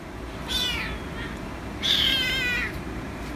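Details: Rescue kitten meowing for attention: two high, harmonic-rich meows, the second louder and longer, over a steady low background hum.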